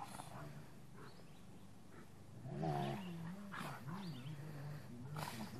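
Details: A big male Rottweiler sitting in a truck gives deep, rumbling growls that rise and fall in pitch while play fighting with a younger Rottweiler.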